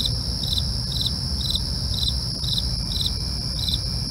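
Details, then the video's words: Crickets at night produce evenly spaced pulsed chirps, roughly two per second, layered over a sustained shrill trill, with low background rumble filling the lower range. "night crickets asmr for you, can't sleep? try to relax with our real sound"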